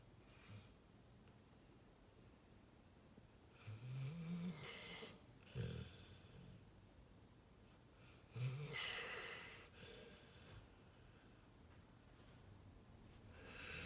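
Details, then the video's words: Pit bull asleep and snoring: three separate low, rasping snores spaced a few seconds apart, with soft breathy pauses between them in a small quiet room. "funny pitbull sleeping and snoring"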